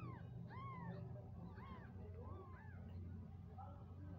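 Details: Cat family with newborn kittens born on the ground, mother calling her young; a run of short, high, arched mews repeated roughly every 0.7 seconds over a steady low rumble.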